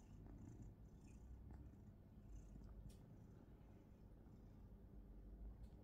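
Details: Contented house cat purring during belly rubs, a steady low rumbling purr throughout, quiet and close, with faint rustling of fur and hands.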